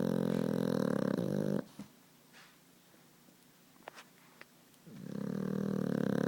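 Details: New puppy asleep indoors, snoring: long, loud, rasping breaths with harmonic buzz at the start and end, separated by a quiet pause of about three seconds with faint clicks.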